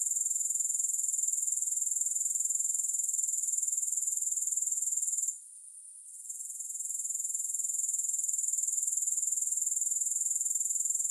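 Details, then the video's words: Grasshoppers with no music: a steady, shrill pulsing buzz, very high and hiss-like, interrupted by one short lull midway before the rapid stridulation returns at full strength. "Grass Hopper Sounds"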